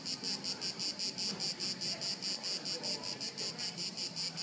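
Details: Crickets recorded at Haut-de-Cagnes in 2013 give clear, evenly spaced high chirps, roughly two and a half per second, over soft low background noise.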